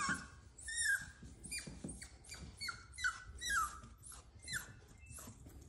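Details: Cavalier King Charles Spaniel puppy afraid of the stairs, crying in a series of short falling whimpers, roughly two per second at first, then slowing and fading, in a small indoor space.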